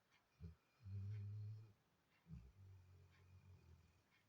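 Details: A Labrador Retriever snoring: low, rumbling snores, each a short snort followed by a long droning inhale lasting under a second, two cycles in quick succession in a quiet indoor space.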